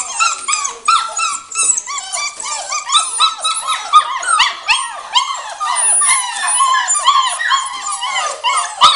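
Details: Litter of five seven-week-old Samoyed pups, two males and three females, keeping up a continuous loud chorus of high-pitched whimpers, squeaky yips and wavering whines that overlap throughout.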